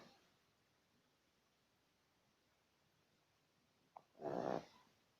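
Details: One coarse, buzzing snore from a badger rises near the end after a brief sniff, following several seconds of quiet.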